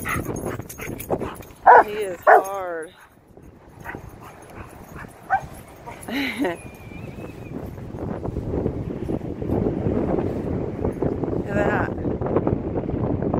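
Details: Rottweiler Macho running loose at the park gives two loud harmonic barks near the start and another bark midway, followed by rising wind and handling noise while a man calls out praise.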